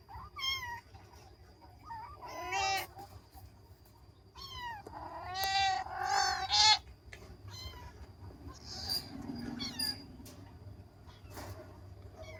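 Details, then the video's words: Kittens at play, meowing in quick bursts: high, arching mews clustered in the first seven seconds, one loud strained cry, then softer calls over low steady rumble. "ANAK KUCING MEONG MEONG"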